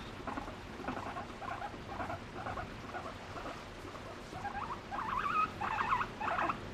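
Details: Pet guinea pig seeking affection from its owner, expressing emotion through varied calls: a steady series of short low chirping chuts about twice a second, growing louder and more tonal toward the end, over faint indoor hiss.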